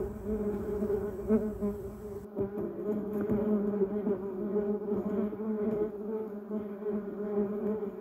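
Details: Continuous buzzing of bumblebees among a yellow cassia bush and duranta erecta, a dense layered drone with small swells in loudness and a faint higher background hiss early on.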